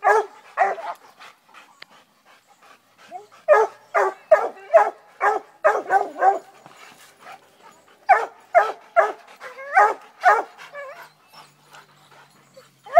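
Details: An 8-month-old female Redbone Coonhound in training barks at the first raccoon she has ever seen: bursts of short, ringing, tonal barks, several quick runs separated by brief pauses, harmonics stacked over a midrange voice, quiet surroundings.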